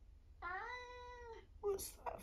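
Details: 1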